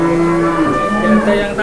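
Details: A cow lows at a cattle market in Boyolali, Indonesia, where a child leads the animal; the drawn-out, even-pitched moo lasts over a second with a second tone layered above, and market chatter can be heard around it.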